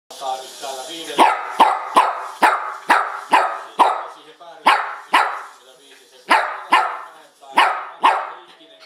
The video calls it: Barking dog